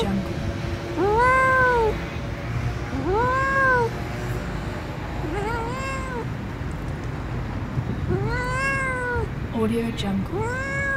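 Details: Little blue-eyed kitten outdoors in nature, giving four arched, tonal meows roughly every two to three seconds, each rising then falling, over a steady low background hum.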